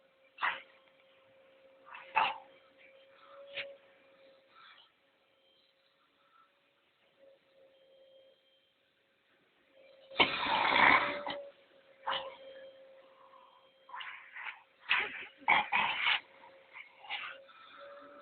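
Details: Labrador Retriever reacting to a vacuum cleaner: short scattered barks, with loud harsh bursts near the middle and again toward the end, over a steady even hum and quiet gaps.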